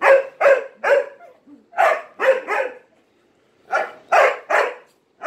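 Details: During play with three Malinois, a dog barks for attention in quick clusters of sharp, loud barks, about two or three per second, with a short silent gap midway.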